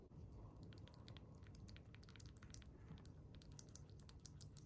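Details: Eating noises from a chipmunk working on small-animal jelly food indoors. Dense, fast, crisp clicks sound almost like tapping keys, continuing without pause over a low background rumble.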